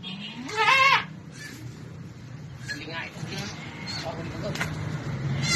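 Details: Goat during a hard birth that was finally delivered; one sharp, rising, harmonic bleat opens the recording, followed by quieter human voices and faint rustling.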